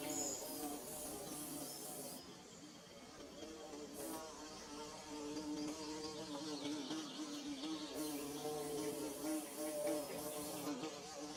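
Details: A droning hum of bees building their hive, wavering and steady, overlaid by loud bursts of shrill high-pitched hiss that start and stop every few seconds. Captured on DSLR and phone.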